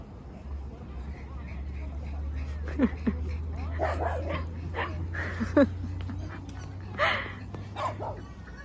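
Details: Excited Boston Terrier Mocca at a playground whines and yips on spotting her beloved soft, bouncy ball, begging for a kick; short sharp yelps and whimpers come in scattered bursts under a woman's chatter and a low steady hum.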